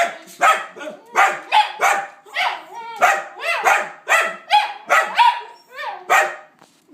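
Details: Dog making strange sounds: a rapid series of short yelping barks with whiny, tonal tails, roughly two per second throughout, with a brief human voice nearby.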